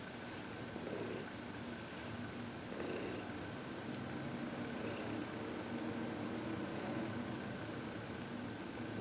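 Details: An elderly adopted cat, 14 years old and described as happy, is indoors receiving massage and reiki. It gives a continuous low purr beneath a steady hiss, with airy breath-like bursts recurring roughly every two seconds.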